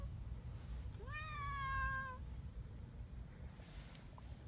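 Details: Friendly community cats gathering on a cold morning after running along a mountain path to their meeting place; a single drawn-out meow rises then levels off, rich in harmonics, over a low steady rumble of background noise.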